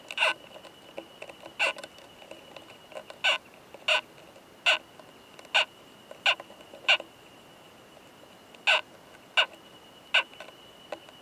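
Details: Loud, hard "kan kan kan" clicks from a male Oomadarakokunusuto beetle mating with a female in a high-mountain pine forest, struck roughly every half to one second in a regular series, each click bright and ringing, a thin steady tone behind.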